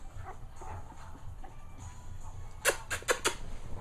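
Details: Manny, a two-week-old puppy, gives four short, sharp broadband yaps in quick succession near the end, after a quieter stretch of faint murmuring and room noise.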